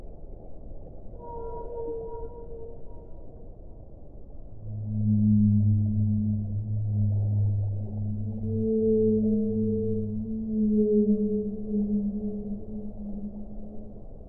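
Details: Whale song: long, low moaning tones, sustained and slightly wavering, with higher drawn-out notes early on, over a steady low rumbling underwater background.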